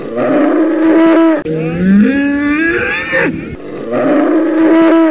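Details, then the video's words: Deep, loud bull bellows, rich in harmonics. A sustained call is followed by a longer bellow that rises steadily in pitch, then another steady, resonant call. "TAUREAU qui BEUGLE le CRI du TAUREAU bruit des ANIMAUX BULL SOUND"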